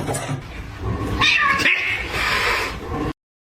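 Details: Domestic cat meowing, a drawn-out mid-pitched cry around the middle of the clip over a noisy, busy background, then abrupt silence at the end.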